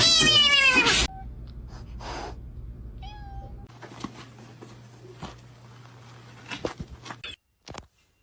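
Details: House cat letting out a loud, strained meow that climbs in pitch for about a second, followed by a few faint short mews and scattered soft clicks over a low hum, ending in near silence.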